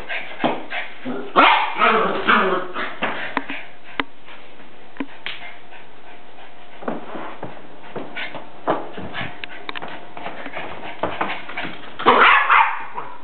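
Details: Pet dog Salem at play with a soccer ball, giving quick bursts of barking and yipping, clustered early and again at the close, amid knocks and scuffles from the game; a faint voice now and then.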